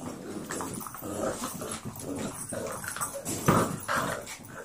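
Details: Two foster puppies, Brindy and Lady, 11 weeks old, at play: steady low growling with brief whiny yelps rising near the end, over a constant background hum.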